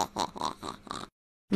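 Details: Airedale Terrier giving a run of short rhythmic grunting, huffing vocal bursts, about five pulses in quick succession, then a brief silence and one more sound at the end.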